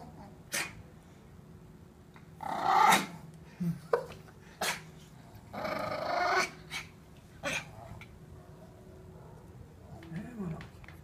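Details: Toy Poodle at a home dog daycare and boarding in Brazil, playing with a shih tzu. Two longer harsh, raspy growl-bark bursts stand out among short sharp taps and clicks, with a quieter low growl near the end and faint room noise.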